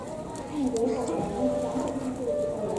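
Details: A goat at a zoo in Japan gives wavering, drawn-out bleats that sound strikingly like a person crying.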